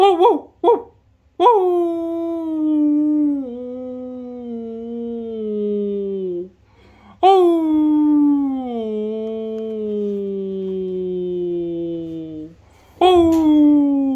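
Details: A female Labradoodle named Merry, born December 2018, howls in response to a person howling in front of her: long, drawn-out howls starting high and sliding slowly downward, each lasting several seconds.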